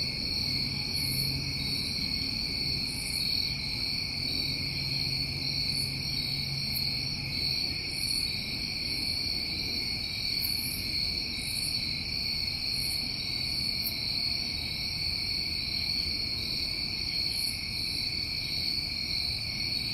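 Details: A constant high-pitched buzzing trill rises from crickets on a New England summer night. The layered bands stay steady throughout, with a soft low droning hum beneath and scattered short faint hisses up high.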